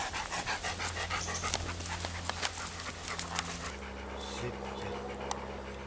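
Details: Panting of a ten-year-old male Labrador cross, a shelter dog up for adoption, out on a walk; quick rhythmic breaths about three per second over a low steady hum, with faint voices.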